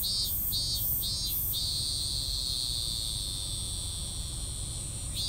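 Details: Cicada giving an incomplete, half-finished song: three short high buzzing pulses, then a sustained shrill buzz held for several seconds before cutting off, over a steady low background rumble.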